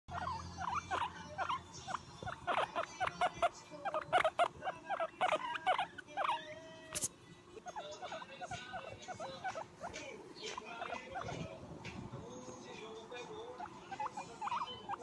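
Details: A pet guinea pig (Cavia porcellus) gives quick, high squeaks and chirps of contentment while being patted, with soft tapping around it.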